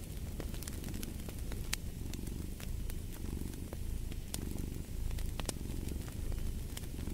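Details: A cat purrs in a low, rumbling drone with soft breathing swells, while a fireplace crackles with bright, irregular pops over the top.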